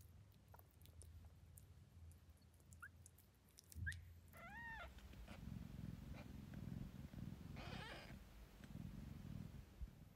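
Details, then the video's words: Devon Rex cats at the Kocia Zagroda cattery give a few short chirps, then two arched, rising-falling harmonic meows and a louder rough call, over a steady low indoor hum and soft purring. "Dzień dobry, miau"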